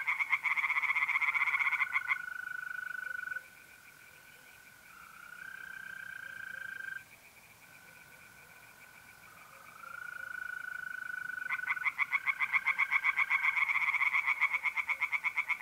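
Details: Singing tree frogs at a pond by night in mid-April, north-east Italy. Dense rattling pulse trains open and close the recording; between them a quiet middle section holds only the even, sustained trill of mole crickets.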